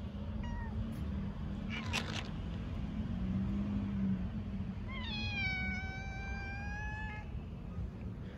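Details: Hungry stray cats, including a calico, on stairs on a cold winter day, meowing loudly for food and love when their feeder arrives: a short meow, then a long clear drawn-out meow, over low rumbling background noise.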